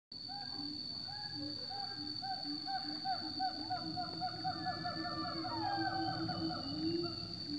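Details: In a tropical forest, a siamang gives a run of loud, rising whooping notes over a steady high insect drone.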